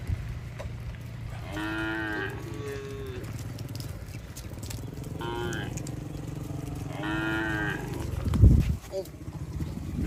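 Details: Cattle herd moving along a road, several overlapping moos, some rising and some steady, repeated through the recording above a continuous low engine drone, with a sharp knock near the end.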